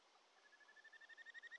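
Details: Kajika frog (Japanese stream frog) at a mountain stream in the Shin'etsu region of Japan, early July: a brief run of quick pulsed notes on one steady pitch, growing louder toward the end over soft stream hiss.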